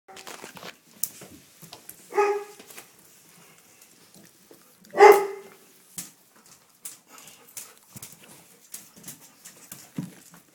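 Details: Seven-week-old red rust Doberman Pinscher puppies from a litter born 7-12-10, playing indoors with their mother nearby; two short, bright harmonic yelps stand out near two and five seconds amid scuffling, pattering paws and faint clicks.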